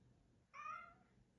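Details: Bengal cat indoors on a sunny day, meowing to be let out to play: one short rising-then-falling meow lasting about half a second, clearly harmonic and fairly soft, over a quiet low room hum.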